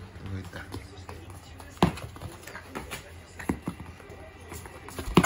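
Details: Poodle playing ball in the morning gives a few short, sharp barks spaced about two seconds apart, while a person talks in Japanese and soft household noises continue underneath.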